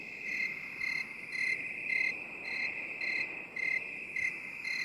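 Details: Relaxation recording of crickets in binaural 8D: quick, bright chirps come about twice a second in a fairly steady rhythm over a constant, piercing background buzz.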